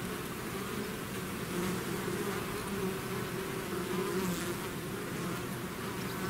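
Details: Bees swarming out of the hive fill the air with a rich, wavering buzz, several humming tones rising and dipping as individual bees pass, over a constant low drone.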